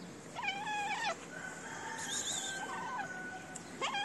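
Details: Stray cat with big eyes in a Moroccan city asking for food: a clear drawn-out harmonic meow falling at the end, a second fainter call, then another meow starting at the close.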